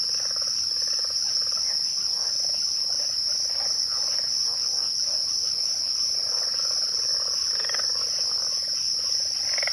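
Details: Crickets at twilight in a steady, high, shimmering continuous trill, with fainter softer chirping lower underneath; no other clear sounds.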